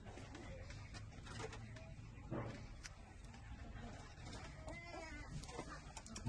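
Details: Six-day-old newborn puppies suckling milk from their mother; a short, high, wavering whine with stacked overtones breaks out near the end, rising and falling briefly over a steady low hum and soft clicking background noise.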